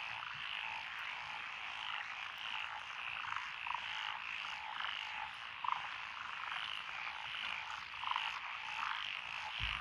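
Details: Night-long style frog chorus in Fukui's lotus paddies, Echizen City, June 2021, with five named species including Schlegel's green tree frog and wrinkled frog; an unbroken wall of croaking with occasional louder clicking pulses standing out.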